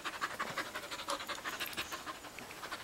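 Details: Fast, even panting from a Samoyed husky mix performing tricks like shake; a continuous string of airy puffs, around six each second, lasting nearly three seconds, with commands spoken nearby.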